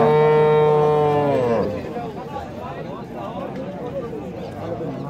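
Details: Dairy cow in Bangladesh gives a loud, steady, rich moo lasting about 1.7 seconds that drops in pitch at the end, followed by background chatter and outdoor noise.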